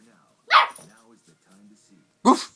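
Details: Boxer puppy chasing its tail: two sharp, loud single barks about two seconds apart, with a person's quiet speech between them.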